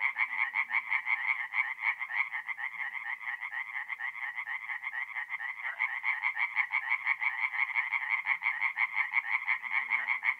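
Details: Forest pond at night in mid April, north-east Italy, full of singing tree frogs: continuous fast-pulsed rattling calls from many frogs overlap into a loud, steady chorus with a faint low hum behind.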